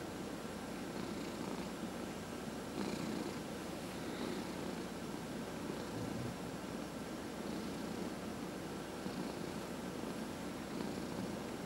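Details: Domestic cat purring steadily while massaged, among four cats including two senior shelter adoptees; deep continuous rumble with soft periodic brushing strokes every one to two seconds.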